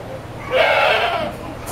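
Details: Goat upset at being washed lets out a single loud, quavering bleat of under a second, bright and harmonic, set against faint background noise.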